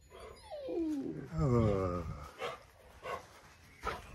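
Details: An 8-week-old Labrador puppy, just brought home, meets a 4-year-old chocolate Labrador for the first time; a drawn-out whine slides downward, then a louder wavering whimper follows, with a woman's soft voice and household shuffling.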